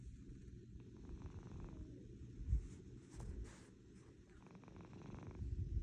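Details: Pet domestic cat purring loudly like an engine, a deep continuous rumble with rhythmic pulsing and a few brief louder swells.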